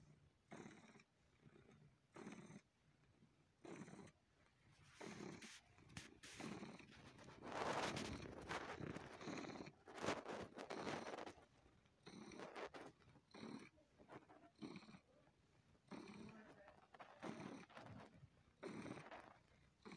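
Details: Pet cat purring as it sucks on and massages a person; rhythmic rasping purr pulses repeat about every second and a half, blurred by louder rustling and handling noise through the middle stretch.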